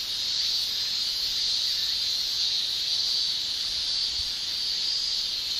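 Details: Summer chorus of male Japanese cicadas, their tymbal song forming an unbroken, high, hissing shrill that stays even from start to finish.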